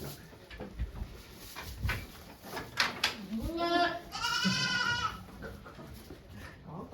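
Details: Goat at a Japanese farm on 3 May 2023, around the time of giving birth to two kids; one long wavering bleat after four seconds, preceded by a shorter cry, with people talking softly nearby.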